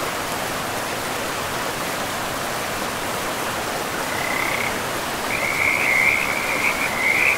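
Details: Frogs beside a river in a pristine, mossy forest; after about four seconds of rushing water alone, a high, rattling trill starts, then grows louder and continues to the end.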